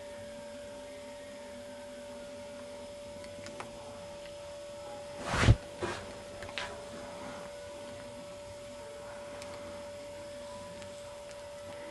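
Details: Constant electrical hum in a quiet room, broken by one brief thump near the middle, with no animal sound heard.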